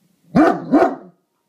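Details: A Great Dane watching over the house gives two deep, rough barks in quick succession, a watchdog warning at a garbage can outside.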